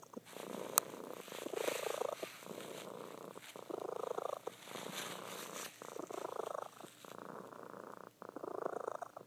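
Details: Loud purring from a female house cat while she sleeps; grainy, buzzing rumble rising and falling with each breath, bursts separated by short pauses, a faint click near the start.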